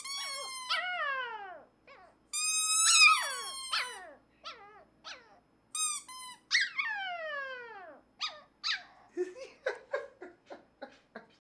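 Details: Shy black Pomeranian puppy at a puppy store, coaxed out by a green squeaker toy, howling in long falling whines with bright harmonics, then breaking into short rising yips and squeaky yelps toward the end.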